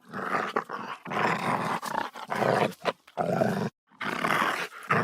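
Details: A dog growls aggressively in rough, raspy bursts lasting up to a second, deep and noisy, with a distinct silent pause before a last snarling surge.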